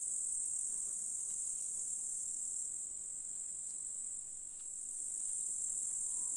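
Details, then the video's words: Grasshoppers singing in a July meadow in the Russian countryside, a dense continuous high-pitched shimmering buzz held steady throughout with no other clear sounds. "Sounds of Nature. Grasshoppers in July"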